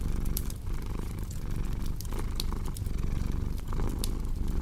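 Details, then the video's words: Low rumbling cat purr under busy fireplace noise, with crisp crackling clicks and a few loud snaps standing out against the soft, continuous drone. "Purring Cat with Cozy Crackling Fireplace Sound"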